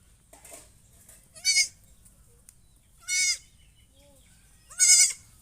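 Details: Goat calling with three short, high-pitched, quavering bleats spaced roughly one and a half seconds apart, rising slightly then falling, over a low, quiet background hum.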